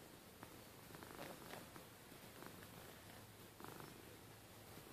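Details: Domestic cat purring at bed time, a low continuous rumbling hum with gentle pulsing, soft and close, small rustles and faint clicks over the steady purr.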